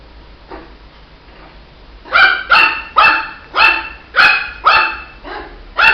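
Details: Barking from a Shih Tzu puppy: a faint yip at first, then from two seconds a steady run of seven high, harmonic-rich barks about every half second.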